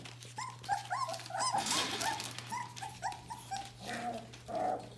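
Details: Bohemian Shepherd puppies from the "F" litter, nearly four weeks old, give a run of short, high whimpers and squeaks, several pups overlapping in quick succession, with a steady low hum underneath.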